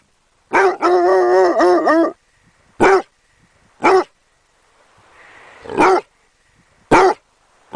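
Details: Basset Hound puppy giving a long, wavering, tonal howl of about one and a half seconds, then four short, sharp barks spaced roughly a second apart, with quiet pauses between them.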